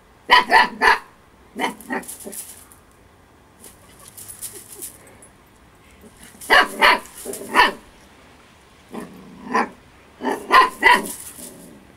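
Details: Eight-week-old Husky girl Storm, over-playful and having fun, gives clustered volleys of sharp, high puppy barks, three or four at a time, separated by short pauses with softer rustling.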